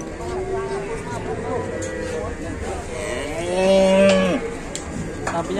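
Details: Cattle moo while getting stuck coming down from a truck, Indonesia; a drawn-out harmonic moo swelling around the fourth second amid clatter and background voices.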